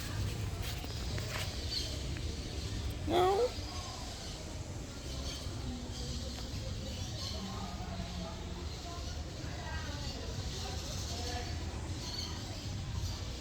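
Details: Domestic cat giving one short, upward-sweeping meow about three seconds in, set against a steady low rumble and faint scattered background sounds.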